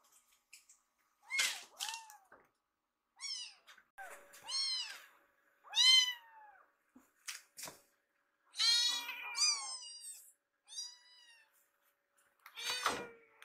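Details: Rescued baby kittens Piyo and Yuki wait in line for food in a home kitchen. Loud, bright, rising-then-falling mews sound one after another, some overlapping, with occasional light taps in a quiet room.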